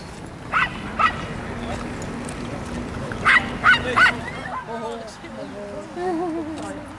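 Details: Welsh Terriers at a gathering at Chatsworth House; a few sharp barks, three in quick succession midway, followed by people talking.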